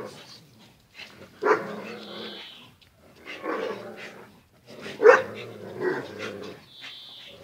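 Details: Two pet dogs, Zion and Tyson, in their daily fierce play-fight: rough growling and short barks in bursts, with a few high whines between.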